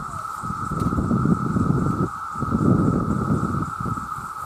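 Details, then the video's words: Male cicadas in huge numbers calling for mates: the same unbroken shrill drone continues while loud low rustling and thumping noises rise and fall in waves beneath it. "The Sound of The Cicada"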